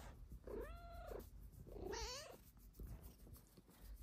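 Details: Indoor pet cat sprawled on a love sack, asking for belly rubs with two drawn-out tonal meows about a second apart, the second bending upward then sliding down, followed by soft rustling.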